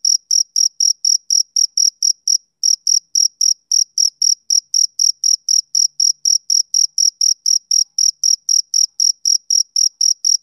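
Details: Rhythmic summer-evening chirping of a male cricket, bright high trills repeating about four times a second, with one brief pause near the start and nothing else audible.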